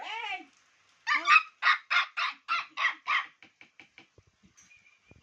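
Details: Laddu, a baby Chow Chow puppy kept as a pet, gives a short whine, then a quick run of about eight high, yappy barks that fade into softer little yips, with Bengali speech nearby.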